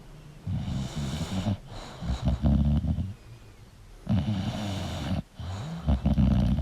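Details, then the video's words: English bulldog sleeping and snoring loudly. Two long, rattling low snores are split by a quieter breath and a short snort. The room is otherwise silent. "English Bulldog Sleeping & Snoring Sound"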